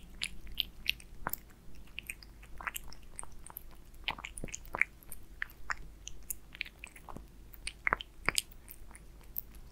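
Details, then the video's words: Aliska, a pet cat, chews beef Friskies wet food in a small room, giving crisp irregular mouth clicks and moist smacking every fraction of a second against faint steady background hum. "Aliska eats FRIESKIES with BEEF Cat eating wet food"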